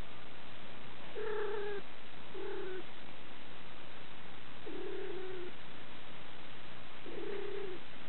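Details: Relaxed male house cat being stroked by a girl, purring in a continuous low rumble, with four short tonal, moaning notes scattered every two to three seconds over the purr.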